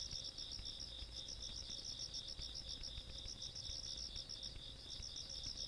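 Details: Insects calling on a countryside night, recorded 17 August 2022: a quiet, continuous high trilling made of fast regular pulses, with a steady low background hum.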